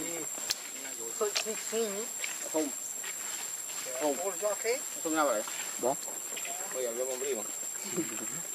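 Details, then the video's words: Baby monkey Lucie, hungry for milk, cries in repeated whiny, quavering bursts that wobble up and down in pitch, several calls in close succession, over a steady high-pitched hiss in the background. "Lucie Too Much Hungry Milk I Lovely Cute Baby Monkey"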